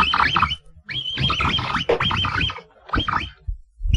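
Capybara giving bursts of squeaky, whistled chirps over a low, rough grumbling undertone.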